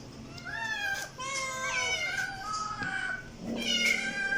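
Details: Domestic cat meowing repeatedly, about five drawn-out, clearly harmonic meows in quick succession, each bending up then down, with a light background hum.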